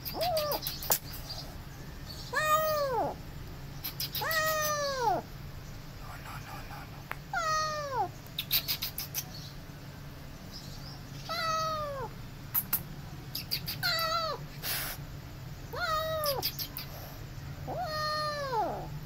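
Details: Late-night rescue of two abandoned feral kittens being caught: insistent arching meows repeated roughly every two seconds, about eight in all, with faint rustling and knocks between calls.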